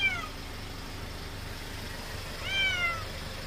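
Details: Weak, elderly feral domestic cat at a rural house, following a person and crying for more churu treats; two meows, a short falling one at the start and a longer arched, bent meow near the end, over faint traffic hum.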